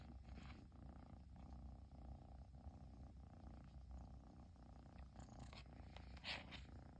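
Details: Long-haired Persian kitten, of the chinchilla type, purring continuously once its owner returned home; the deep throbbing hum stays even, and a brief rustle or brushing sound appears near the end.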